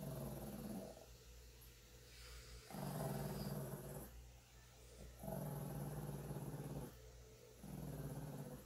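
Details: Pet Shih Tzu of 9 pounds growling constantly as the cat grooms her while she leans in to allow it; low rumbling growls in four long bursts of about one to two seconds each, separated by short pauses, over a steady low hum.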